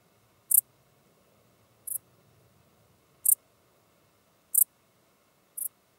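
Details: Five quick, high, buzzy chirps from a common dark bush-cricket, one every second or so, recorded 8 October 2022 near Tuttlingen, Germany, with a soft low background hum.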